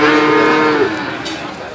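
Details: Male calves at the Gorang Gareng cattle market, Magetan, East Java, Indonesia, February 2019: a short, steady, level-pitched bawl under a second long, with a man talking and market bustle behind.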